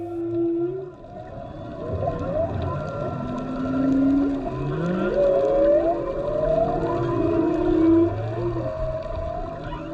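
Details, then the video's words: Humpback whales singing underwater off Maui during whale season, recorded while diving: overlapping low moans, rising and falling whoops and higher wavering cries, steady and continuous, over a constant underwater hum. "you can hear the whales from underwater. That's right, you can hear them."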